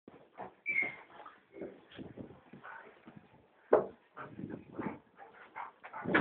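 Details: Dogs play-fighting, a big dog tussling with a puppy: irregular low growls, grumbles and short whining yelps in bursts, with a person's voice nearby.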